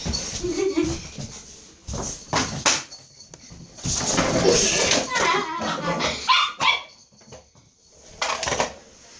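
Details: Pet dog arguing with its owner, answering with short whining, yodel-like vocal bursts and a few barks amid a human voice talking back, loud irregular exchanges across the clip.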